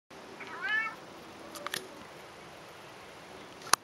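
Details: Pet cat meowing back during a conversation with its owner: one short harmonic meow that rises then falls near the start, followed by quiet room tone broken by a couple of faint clicks.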